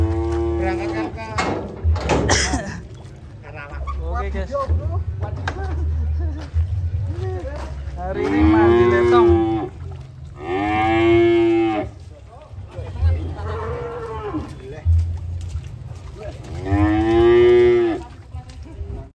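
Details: Big cow, raging as it is unloaded from a truck, bellows several long, loud moos spaced a few seconds apart, each swelling then fading, over a constant low engine-like hum and occasional human voices.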